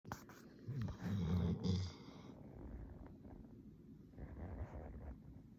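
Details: Sleeping black Labrador Retriever snoring loudly indoors, low rumbling snorts that swell into a strong burst with breathy rasps, then softer, quieter snores trailing off.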